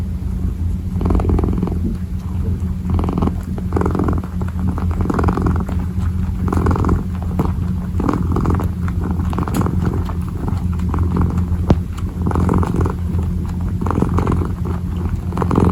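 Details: Kneading kitten purring close up, a deep continuous rumble that swells and eases in regular waves about every one to two seconds with each breath, with light soft rustling throughout.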